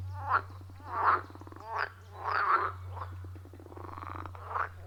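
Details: Forest-pond frogs in a loud wild chorus, iPhone 14 Pro with Shure MV88+ recording: irregular rasping croaks about a second apart, mixed with softer rattling pulses and a continuous low hum.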